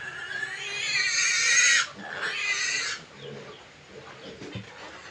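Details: Sow and 25-day-old piglets in a backyard farm setting; a loud, long shrill squeal for about two seconds, then a second burst, then fading to quieter scattered snorts and rustling.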